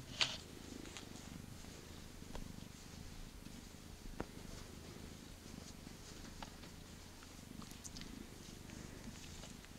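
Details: Purring of a young female cat, about eight months old, a friendly former street cat awaiting adoption, happy to be picked up and petted; a steady low rumble runs throughout with a few soft clicks and rustles.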